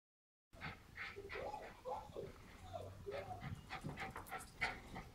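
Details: Jack Russell Terriers at home playing hide and seek as their owners return, searching for them: excited high whines and whimpers in short rising and falling notes, with panting and movement noises, quiet speech faintly in the background.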